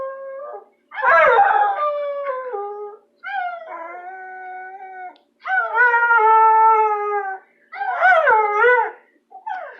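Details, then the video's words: Pet bulldog howling affectionately at a person it loves: a series of long, tuneful, sustained howls, each lasting one to two seconds, some wavering or sliding downward in pitch, separated by brief pauses, with no other clear sounds. "Howling bulldog"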